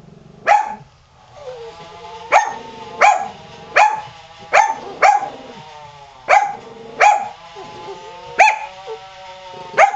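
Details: Qusi, a pet dog, barking while a rototiller runs in the yard; loud sharp barks at irregular intervals, each with a harmonic tonal tail, while another dog, Hyzzie, cries with whining tones between them.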